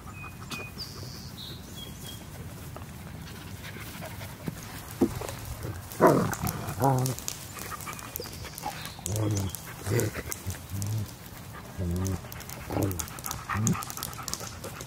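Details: German Shepherd puppies at play, giving short growly yips and grunting whines in scattered bursts, some with wavering pitch, bunched between six and fourteen seconds over low background rumble; faint high bird chirps early on.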